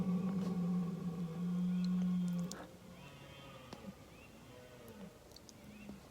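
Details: Wild red deer stag in a UK forest during the annual rut roars at night about 50 m from a tent, a deep, drawn-out bellow that fades away; it has roared for about an hour, with other stags roaring all around.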